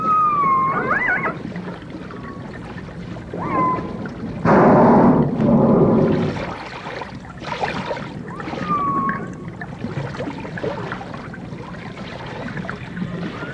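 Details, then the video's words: Dolphins in a 1989 stereo recording of dolphins and orcas: a few short whistles that swoop up and fall, spaced several seconds apart, broken by a loud rushing, gurgling burst of water midway. "The Enchanting Sounds Of Dolphin Song (Dolphins & Orcas)"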